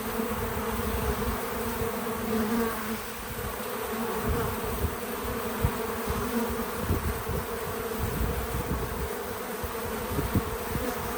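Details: Bees visiting a feeder on a small farm outdoors: a steady background hum of wings with scattered low rustles and light knocks throughout.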